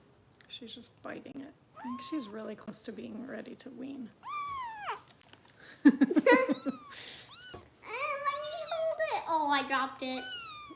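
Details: Foster kitten Harper, bottle-fed by kitten rescue volunteers in Los Angeles, gives high arching meows with rich harmonics, one mid-clip and another near the end, while a woman talks softly over the indoor feeding.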